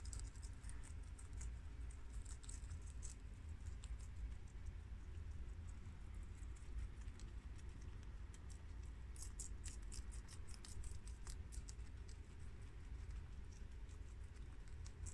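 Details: Four pet guinea pigs, males Shiro (tri-colour American) and Crash (red American), females Cookie (long-haired mini yak) and Peanut (Abyssinian), eating freshly washed garden romaine lettuce; soft, rapid crunching clicks in quick irregular bursts over a steady low background hum.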